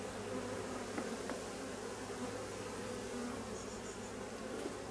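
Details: Honey bee colony in drone-laying replacement work; a steady low buzz runs the whole time, with a few short clicks and a faint high chirping near the end.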